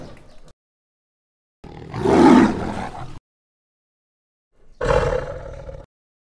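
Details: Wild tiger in deep jungle: two separate powerful roars, the first loud and raspy, the second shorter and steadier, each framed by complete silence.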